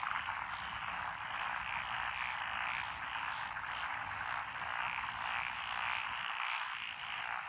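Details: Rice-paddy frog chorus beside lotus fields in Echizen, Fukui, Japan, June 12, 2021, with Japanese tree frogs, black-spotted pond frogs, wrinkled frogs, Schlegel's and forest green tree frogs: overlapping pulsed croaking that swells and eases without pause.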